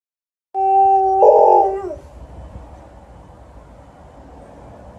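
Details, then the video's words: Alaskan Malamute howling outdoors in the evening after a walk, responding to a passing ambulance: one sustained, steady, tonal howl lasting about a second and a half, then falling away, followed by faint background hiss. "Alaskan Malamute is howling outside to a passing ambulance"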